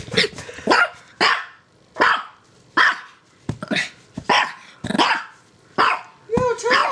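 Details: Six-year-old female pet dog playing excitedly, giving a series of short sharp barks spaced irregularly about half a second to a second apart, with a person scolding in the background.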